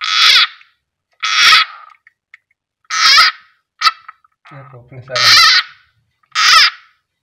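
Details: A frog being eaten by a keeled rat snake (Ptyas carinata) at feeding time lets out loud, raspy, broadband screams, five short bursts spaced about one to one and a half seconds apart, with a brief murmur of human speech in between.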